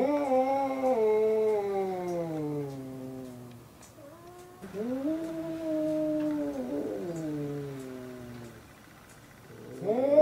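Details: Cat fight between Hokuro and a black-and-white cat, their third clash: slow descending yowls with rich harmonics, a quieter pause, then another long wavering wail and a rising cry at the end.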